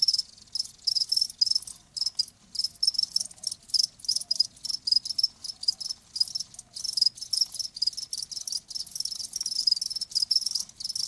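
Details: Dense, nearly continuous high cricket trill, pulses packed tightly with only a few short breaks, in a quiet nature-sound setting.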